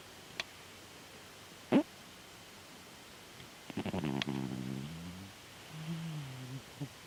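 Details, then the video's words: Chataro, a pet cat, snoring while asleep indoors: a few sharp clicks early on, then a low buzzing snore with a stacked harmonic tone near four seconds and a softer, gliding second snore shortly after. "猫のいびき いびきをかいてねるチャ太郎くん"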